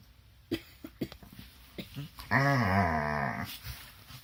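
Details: Two dogs wrestling together in their morning play: soft scuffling and snorts, then a drawn-out, wavering whine-growl lasting about a second, rising and falling, followed by quieter breathy noises.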